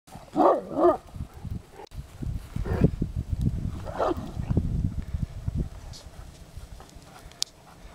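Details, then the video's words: Neapolitan Mastiff grunting: two short voiced sounds, then a long run of deep, rumbling grunts in quick low pulses lasting several seconds, fading out, with faint clicks and handling noise. "grugno napoletan mastiff"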